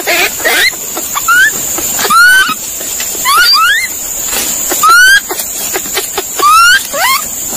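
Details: Monkey calling: a few squealing notes, then short upward-sweeping whistled calls with overtones at irregular intervals, with a continuous high-pitched hiss behind.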